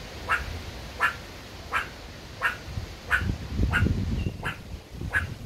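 A meerkat barks in a steady series of brief, rasping, nasal yaps, each spaced less than a second apart. A low rumble of background noise runs underneath the calls.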